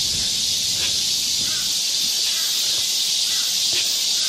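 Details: Cicadas singing in chorus in the forest of Galsan Park, Mokdong, Yangcheon-gu, Seoul, in midsummer: a dense, steady high-pitched hiss fills the air without pause, with faint scattered clicks beneath.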